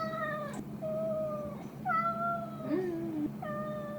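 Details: Domestic cat indoors giving four steady meows in quick succession, each flat and drawn out, over a constant low electrical hum.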